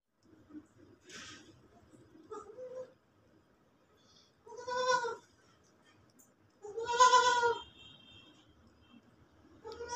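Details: Baby goat eating clothes, bleating: two loud, nasal, quavering bleats around the middle, with shorter, softer bleats near the start and one cut off at the end. Quiet gaps between calls.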